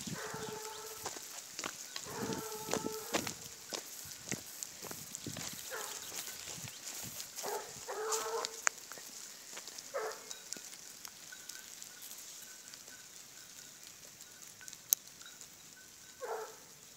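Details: Griffon Bleu de Gascogne hound trailing a wild boar: a series of short, harmonic, mid-pitched bays in quick bursts, then scattered single bays, over steady hiss and rustling.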